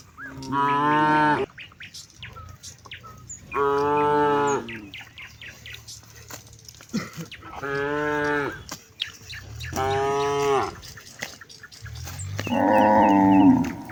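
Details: Calling companions to head home before dark, one of hundreds of cattle herded through a broad rice field in the afternoon gives five long resonant moos about every two and a half seconds, the last rougher and louder; brief bird chirps between.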